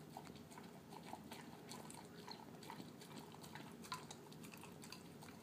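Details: Pet terrier mix dog, male, eating his dinner of canned food mixed with kibble; soft, mushy wet chewing and smacking with rapid irregular clicks and lip-smacks running throughout, fairly quiet and close.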